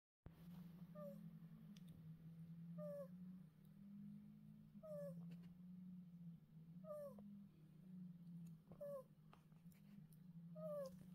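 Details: Seven-week-old female chocolate sable ferret kit snoring in her sleep with her water bowl as a pillow, Tasmania, Australia, January 22, 2024. Tiny squeaky snores fall in pitch, one every two seconds, over a steady low hum.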